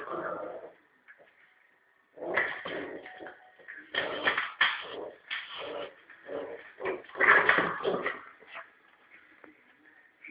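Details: A Norfolk terrier puppy named Prince Harry, about three and a half months old, plays with a ball on a rope as if attacking a rat. After a quiet start he gives a run of harsh, gravelly growls in choppy bursts that fade near the end.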